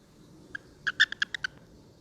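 A male American toad gives a quick run of short, bright chirps, its release call when handled.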